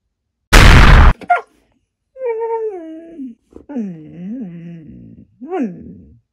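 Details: Maya, a Siberian Husky, answers an Alexa device while being scolded. A sharp burst of noise opens, then drawn-out wavering howl-like tones slide down, rise and fall again in three separate phrases.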